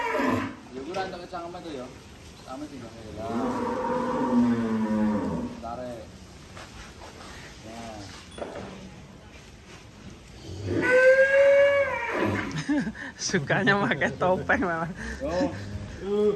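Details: Giant cattle at Bintang Tani Farm being unloaded from a truck: a long, drawn-out low moo in the middle, then a second, louder and higher bellow near the end, with shuffling and handling noise between.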